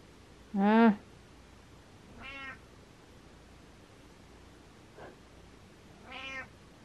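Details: Cat giving a sequence of meows indoors: one loud, clear harmonic meow, then a softer one about a second and a half later, a tiny faint mew, and a final medium meow, all over quiet background hum.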